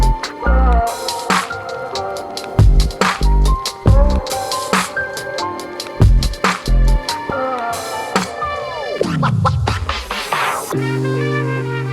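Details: Loud electronic music with beats and record-scratch effects, including a falling swoop near the end.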